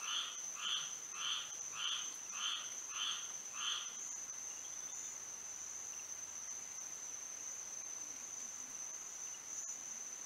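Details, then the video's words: Frogs at night in Florida under moonlight give a quick series of about seven clipped croaks in the first four seconds, then fall silent, leaving only a continuous high insect whine. "A frog symphony to sleep and relax to"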